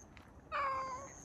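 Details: Stray cat Chako in a car park gives a single clear, steady meow of about half a second while waiting to be fed a lickable treat by a person; quiet background with a faint high hiss.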